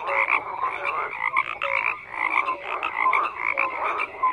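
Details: Chorus of croaking frogs, loud and continuous. Harsh pulsed rattles overlap with bright, high chirps and a few lower whistled notes, the volume swelling and easing every second or so.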